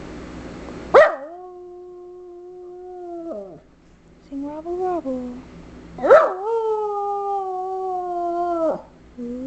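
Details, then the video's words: Female Schipperke singing on her owner's cue, producing long sustained tonal howls that start with a sharp yelp then hold steady before dropping off, with a softer wavering howl between and a woman coaxing her. "Schipperke Rock Star!"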